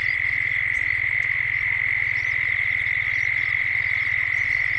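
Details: In Gippsland, Australia, cicadas drone at dusk in a 3D sound recording: a constant piercing whine stays level the whole time, with a low rhythmic pulse underneath and faint bird calls drifting in.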